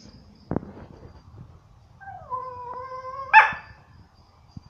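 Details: Dog complaining at a dog resort in Phuket: a quiet room, then a short sustained whine holding two steady tones, ending in a sharp yelp, with a soft knock before.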